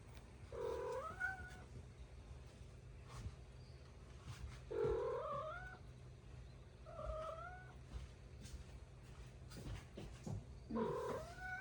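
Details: Stray cat visiting at midday during a typhoon, an unusual daytime visit: four drawn-out wavering meows, each rising then bending down, spaced two to three seconds apart over a steady low hum and faint background noise.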